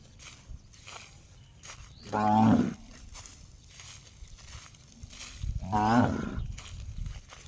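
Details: Cow uttering funny gong-like calls, two brief harmonic bellows about three and a half seconds apart, each sharply rising then fading, over low rumbling outdoor noise.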